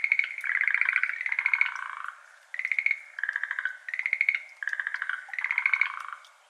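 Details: Schlegel's green tree frogs, endemic to Japan, calling at 6:53 pm on 17 May 2022 beside a flooded iris garden, recorded binaurally with an ambisonic microphone: overlapping rapid rattling trills in bursts of about one to two seconds, separated by brief pauses.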